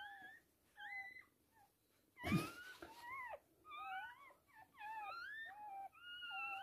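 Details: Birth of three female puppies to a Toy Poodle: a string of bent, whistle-like whines and squeaks coming in quick clusters, interrupted midway by a sharp knock or thump.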